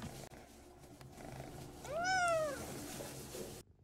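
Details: A talkative short-legged pet cat answers with a single clear meow when playfully called by another cat's name. The meow rises and falls in one arched tone over half a second, with faint room hum around it.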